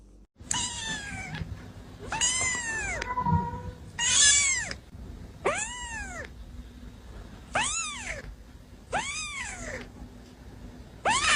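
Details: Playing kittens mew repeatedly, seven loud arched meows that rise and fall, coming every one to two seconds, with a soft thud and a low background hum.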